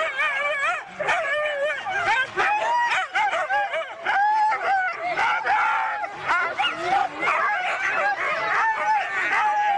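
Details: Excited Siberian huskies at an East Anglia race, their rapid yips and quavering whines stacked in a constant noisy chorus, occasional longer wavering notes rising above the clamour.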